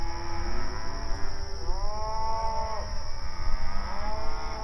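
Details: Grazing open range cattle calling to each other: one clear, long, swelling moo dominates the middle, with fainter lowing from other animals before and after, over a persistent high whine and low ground noise.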